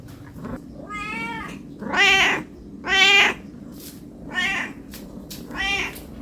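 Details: Hungry cat begging for food with five meows in quick succession, about one per second, the middle two loudest and longest, each a rich harmonic arch; faint background hum.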